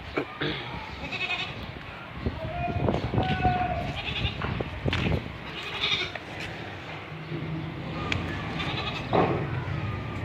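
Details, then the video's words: Young male desi goat kid bleating: short, nasal, wavering bleats come in irregular bursts every second or two, mixed with clattering knocks and faint human voices in the background. "Desi bakri ..... male bacha"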